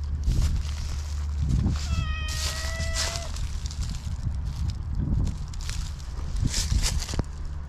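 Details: Black stray cat utters one long meow lasting about a second, held level then dipping at the end, amid rustling, scuffing and a constant low background hum outdoors.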